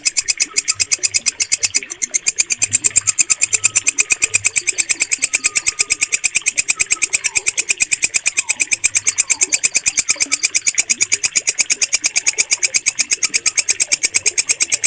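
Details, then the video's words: Green walang kecek bush cricket, used to train caged birds, keeps up a fast, regular metallic pulsing, about seven strokes a second. Soft bird whistles and low murmurs sit far behind. "MASTERAN WALANG KECEK SUARA JERNIH"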